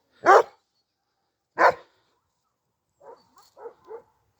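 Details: Kangal dog in a garden after chasing off six other dogs: two loud, sharp barks about a second apart, followed by four fainter, shorter barks near the end.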